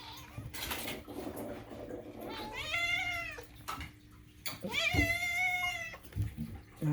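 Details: Pet cat meowing in a home: two long, clear meows that rise then level off, separated by a quiet gap, with human speech and thumps around them and a low background hum.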